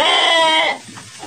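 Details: Garut sheep kept in a luxurious Indonesian pen, fed tofu dregs ahead of Qurban; one strong, steady, nasal bleat lasting under a second, then quiet barn noise.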